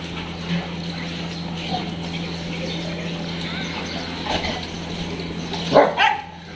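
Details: Dog at a dog hostel in Jodhpur, recorded 5/5/22: after a stretch of low murmuring background, two short, sharp barks burst out close together near the end, over a steady electrical hum and faint distant noise.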